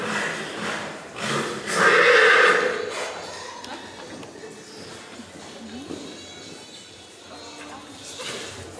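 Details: Black Forest Coldblood stallion at the 2014 stallion licensing in Sankt Märgen, Germany, during in-hand and free-running presentation; a strong whinny near two seconds with hoof beats, crowd murmur and announcer speech around it.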